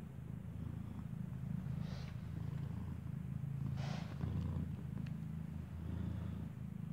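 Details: Continuous deep, pulsing purr from a mother cat staying close to her newborn kitten as it nurses; rhythmic low throb, broken by a couple of brief soft rustling bursts.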